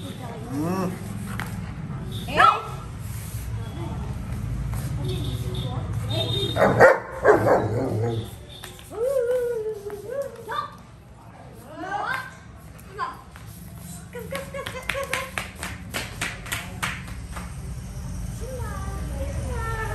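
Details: Shimba, a long-coated German Shepherd, playing with his best buddies: scattered barks, then higher whimpering yips and rising whines, over steady human talking and chatter.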